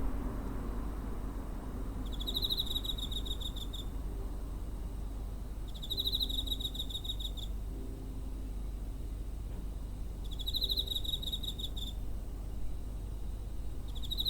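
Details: Cricket recorded near a home on 7 September 2023 with a TASCAM DR-05: four bright, rapidly pulsed chirp bursts recurring roughly every four seconds, with faint low tones and constant low-pitched background hum.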